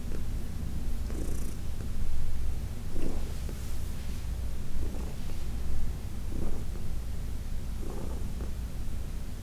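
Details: Low, even purring from Heidi, an elderly shelter-adopted cat from New York City, during a massage; the rumble swells slightly in a slow breathing rhythm, with soft stroking rustles every second or two.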